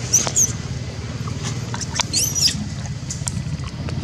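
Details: A hungry monkey named Janet screams loudly for food. Two short, very high-pitched squealing arcs, one early and one near the middle, with faint clicks and a constant low hum between them.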